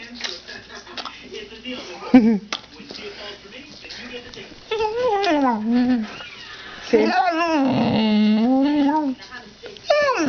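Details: A dog indoors, newly trained to say "mom", gives drawn-out, wavering moaning whines that bend downward and then level off, in two longer bursts. Quiet stretches and a woman's speech fill the gaps.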